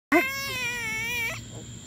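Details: An agitated, angry frog in Texas, provoked by an excited five-year-old child, gives a loud, sustained, harmonic scream lasting over a second, steady then breaking off abruptly.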